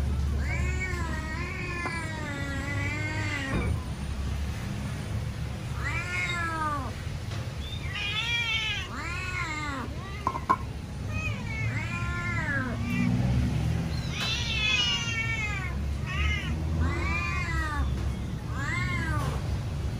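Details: Domestic cat loudly demanding food that has not yet been served: long wavering meows and quick arched cries in close succession, a few doubled, carried over a persistent low-pitched hum.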